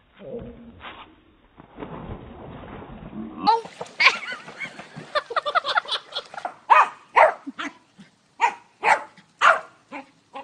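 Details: Dog named Bella at a home pool in Arizona, barking frantically at its owner in the water, believing the owner is drowning; after a muffled start, sharp barks come in a rapid irregular run, then spaced single barks about every half second.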